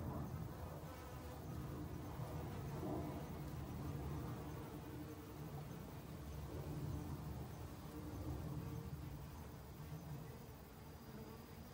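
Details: Honey bees in autumn, busily foraging for food to last the winter: a steady, dense, low droning hum that holds throughout and swells and fades slightly as insects move near and away.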